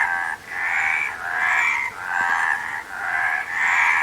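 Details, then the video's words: Frogs give grating, ratcheting croaks in swells of about half a second, separated by short quieter gaps, the sound throbbing and nasal. "Frog Sound"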